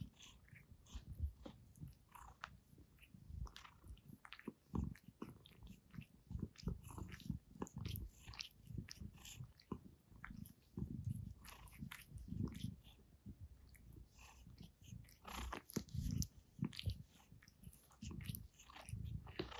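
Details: Gray female cat seated comfortably on a chair indoors, purring while grooming and washing her face; a soft low rumble runs beneath dense, irregular wet licking and smacking clicks throughout, with no other voices.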